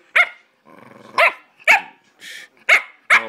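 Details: A 9-week-old Bullmastiff puppy talking back with a run of six short, sharp barks spaced roughly half a second apart. A low grumbling whine sits between the first barks and a soft huff comes near the end.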